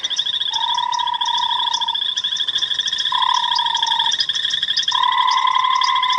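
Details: A tremolo sand frog, found calling at dusk on an African game reserve drive, March 5, 2017, inflates its vocal sac to give long, ringing, sonar-like notes over a second each against a trilling night frog chorus.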